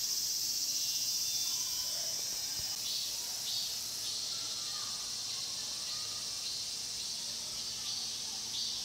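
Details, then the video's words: Cicada chorus in the Mokgye pine grove, Cheongsong, captured with a Panasonic LUMIX GX9: a continuous shrill, high buzzing wall of sound with soft rhythmic swells and a faint lower hum underneath. "'청송 목계솔밭 매미소리' cicada sound"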